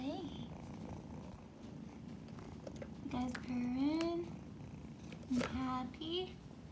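Kittens purr in a steady, low rumble while a woman speaks softly to them.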